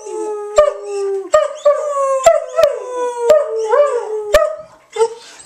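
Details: Kaya, a German Shepherd, joining her owner in a howl; a string of short rising-then-falling howls and yips about once a second, with sharp clicks between them.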